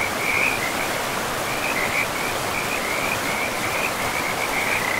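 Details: In a pristine forest by a river, frogs keep up a high, rapid trilling chatter of croaks, with brief louder bursts, against a steady background roar of running water.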